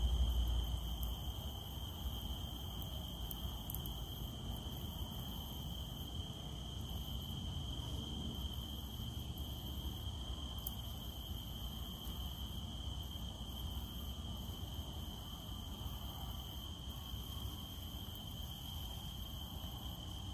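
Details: Cicada calling during rain: one steady, unbroken high-pitched whine holds at a constant pitch for the whole stretch, laid over a dense hiss and patter of falling raindrops.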